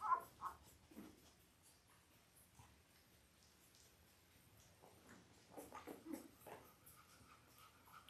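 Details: Labrador Retriever puppies five days old, from Belle's eight-pup litter born October 15, 2023, recorded indoors: short thin squeaks at the start, a quiet stretch, then a cluster of brief whimpering yelps amid faint rustling.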